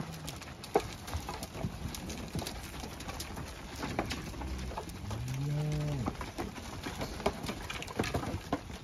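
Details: Charbray cattle: a single low, drawn-out moo that swells and fades over about a second midway through, among scattered clicks and rustling.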